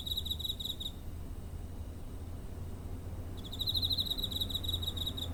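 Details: Cricket recorded near home on 7 September 2023 with a TASCAM DR-05: rapid, high, pulsed chirp trains in two bursts, the first about a second long, then a quiet gap of over two seconds before chirping resumes; low steady rumble underneath.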